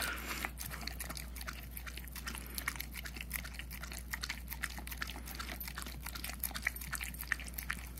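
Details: Dense, rapid smacking and licking from a puppy, almost a year old, eating peanut butter indoors; clicks come several per second in an uneven rhythm above a low electrical hum.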